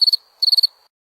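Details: Cricket call: two short, piercing pulsed chirps, the second a burst of five rapid clicks, followed by silence.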